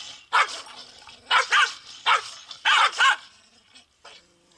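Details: Pungsan dogs in South Korea fight over their home turf, giving loud, harsh barks in pairs and singles, about five in a few seconds, ending with fainter yips.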